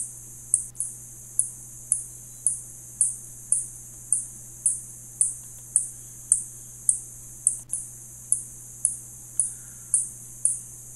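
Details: Spotted bat sending out a steady series of brief, very high clicks, one about every half second, evenly paced throughout, against a faint low steady hum.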